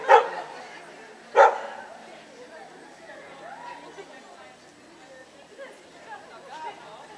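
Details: At a CACIB show in Lithuania, 25 October 2009, a Samoyed gives two strong barks about a second apart, followed by quieter crowd noise and murmured voices.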